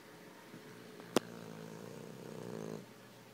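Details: A sleeping Boston Terrier, eyes open, snores a little with a low, rattling breath that swells and then fades.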